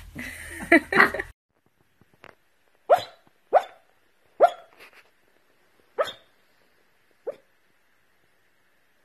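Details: Corgi Husky mix dog named Toby barking about five times at uneven intervals after a burst of human voice, each bark short and clipped, fading softer toward the end.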